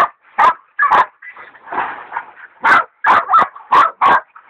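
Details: A big sow hog bayed by hog dogs Dixie and Dollie, Dollie a leopard dog in training: sharp barks separated by a drawn-out rough, whining bark-howl in the middle.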